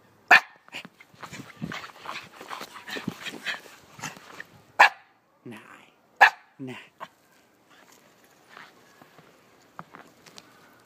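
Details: Kuma, a Shiba Inu puppy, playing in the snow: several sharp, abrupt yips and barks break out irregularly, the loudest near the start and middle, with a person's voice talking between them and quieter rustling toward the end.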